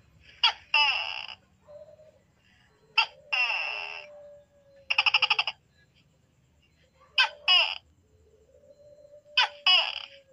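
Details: Night-time calling by a tokay gecko: five harsh calls over ten seconds, mostly a short sharp note joined to a longer grating syllable, with one rapid pulsed rattle in the middle of the series.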